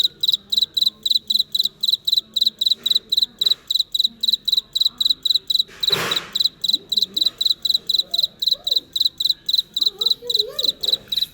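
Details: Cricket in real life producing a fast, even train of shrill chirps, each a clipped little trill, over low Vietnamese speech, with a single sharp knock midway.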